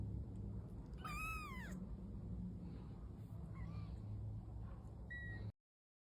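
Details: Domestic cat giving one loud, drawn-out meow that arches up and then falls, followed by a few softer, shorter mews and a brief high squeak over a low rumbling background.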